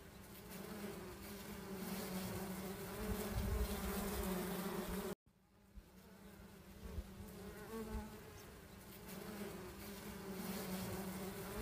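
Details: Many wild honey bees buzzing during honey hunting: an even, sustained drone with a low fundamental and strong harmonics. There is a short silent break near five seconds, then a weaker hum with slight fluctuations.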